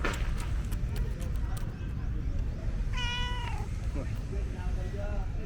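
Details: Vocal tabby cat, a female that enjoys petting, gives one clear, drawn-out meow that holds steady and then falls at the end, with a few softer sounds after it and a constant low background hum.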